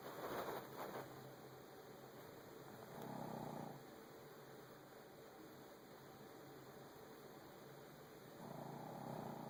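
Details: Frankie, a Shih Tzu, snoring through his nasal passage: soft raspy low bursts, each about a second long, at the start, near three seconds and again at the end, with quiet breathing and steady room hiss between.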